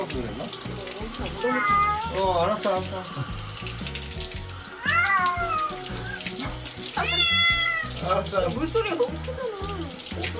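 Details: Cat named Gyeoul, an adult that dislikes water, during its first bath: several drawn-out, wavering meows rising then falling, over running tap water and background music.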